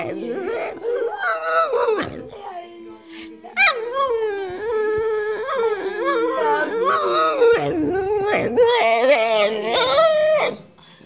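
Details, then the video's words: A whippet 'talking': a continuous, wavering, howl-like whine that rises and falls in pitch, with a brief break near two seconds, then sustained modulated yodelling howls until the end. "The Whippet Talking"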